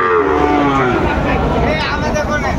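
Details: At Raniganj market in Dinajpur, Bangladesh, on 6 June 2024, Sahiwal bull calves are sold; a drawn-out, slightly falling moo opens the recording over a constant hubbub of people talking and haggling.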